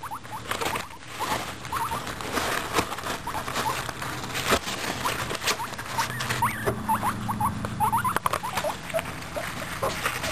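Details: Pet guinea pigs eating a carrot, giving many short rising squeaky chirps scattered through the clip, mixed with crunching and rustling of chewing and bedding.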